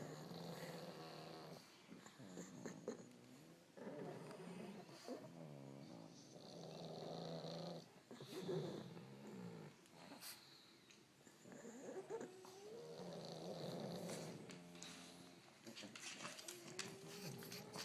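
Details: A pile of Pugs sleeping in the corner of a bedroom snore in overlapping raspy, nasal breaths with buzzing harmonic tones, some whistly, rising and falling in uneven waves.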